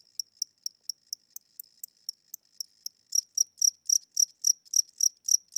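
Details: Slow night chirping from an old house cricket with weak wings: faint, sharp high ticks for three seconds, then stronger, fuller chirps at a steady pace of about four per second.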